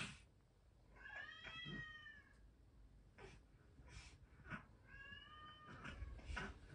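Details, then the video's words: Indoor Norwegian Forest Cat venting irritation after a baby's rough touching: two drawn, harmonic meows about four seconds apart, separated by rustling and handling noises. "赤ちゃんから雑に触わられるイライラをパパにぶつける猫 ノルウェージャンフォレストキャット"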